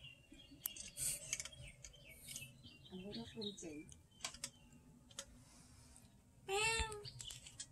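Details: Pet cat eating food from inside an old jar said to be 200 years old; after scattered clicks, clatter and a brief voice-like sound, one drawn-out, harmonic meow rises and falls near the end.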